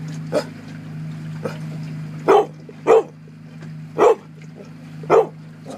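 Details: Dog barking at a sea lion to make it back off from a Coho salmon during a salmon derby at Port Alberni in 2013; loud short barks about once a second, over constant low boat-engine drone.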